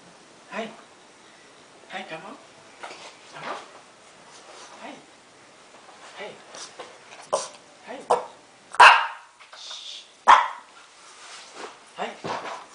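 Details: Lhasa Apso dog eagerly waiting indoors for his owner to come home, giving scattered sharp barks and whines, two loud barks near the end, while a woman talks excitedly to him.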